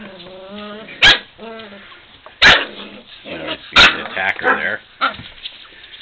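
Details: Male puppy wrestling playfully in a pile of young dogs. Low, rough growling whines are broken by three sharp, loud bark-like bursts about every 1.3 seconds, followed by scuffling yips.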